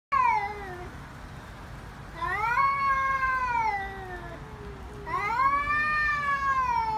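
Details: Fighting cats scream loudly in drawn-out, wavering yowls rich in overtones, three long cries rising then sliding downward, separated by short pauses, with a faint low hum beneath.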